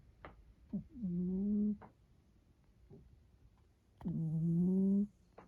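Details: Pet cat Rukkun snoring indoors during an afternoon nap: two drawn-out, droning, nasal tonal snores of under a second each, separated by quiet pauses with faint soft clicks and breaths.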